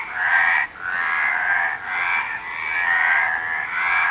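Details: A frog chorus gives continuous rough croaking, with long pulsing trills that briefly falter twice before carrying on at full strength.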